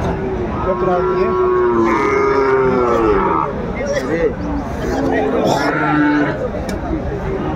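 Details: Sahiwal bull calves at a busy cattle market in Kurigram, Bangladesh, 22 March 2025: a wavering low moo of about three seconds over constant talking, followed by another brief call amid the crowd.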